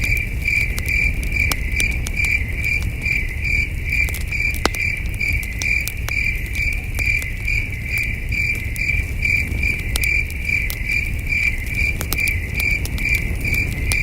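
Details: Crickets chirping in the distance on a starry night at a peaceful wilderness campsite: a steady, high, ringing pulse repeated about two to three times a second, with sharp campfire crackles and a low rumble of breeze underneath.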